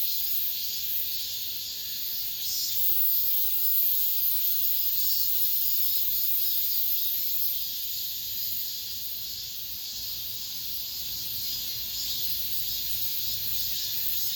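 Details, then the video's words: Cicadas singing in an apartment complex at the end of summer: a dense, continuous high hiss with a steady wash of sound, softly pulsing without clear breaks. "올 여름 마지막 매미소리"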